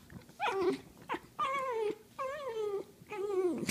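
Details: Dachshund wrestling on a couch indoors: four drawn-out, whiny, grumbling growls, each with a tonal, mid-pitched core that wavers and slides downward, separated by short breathy gaps.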